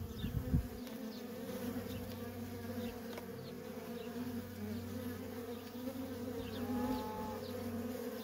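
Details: Honey bee workers streaming in and out of a feral colony: a thick, even buzzing hum, a loud low thump at the start and one clear higher whine of a nearby bee late on.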